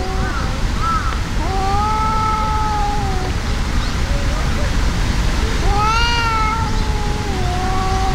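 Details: Two cats fighting outdoors, a brown-and-white tabby furious at a brown tabby that cannot fight back: long drawn-out wavering yowls, several overlapping, with a sharper rising cry near the end, over steady low background rumble.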